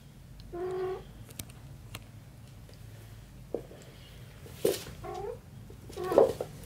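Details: Mother cat Xaxa with her kitten Kimi, playing and cleaning indoors; a tonal, harmonic meow near the start, then brief rising calls and a louder cry at the end, with faint handling noises and low room hum.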